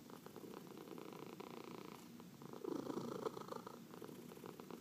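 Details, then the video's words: Pet cat purring while being massaged indoors: a steady low rumbling purr with fine rapid pulsing, swelling louder for a moment near the middle, with soft breaths and faint rustling of hands on fur. "Four Purring Cats — Cat Massage"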